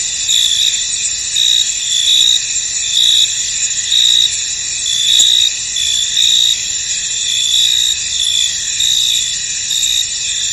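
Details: High, ringing chorus of crickets in a fog-covered field, with chirps pulsing about once a second over a continuous shrill buzz; one faint click near the middle.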